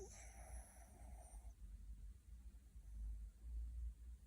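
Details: Puppy in deep sleep, dreaming, snoring, grinding its teeth and twitching: a thin nasal whistling wheeze with a few harmonics holds for about a second and a half, then fades into soft low breathing in a quiet room.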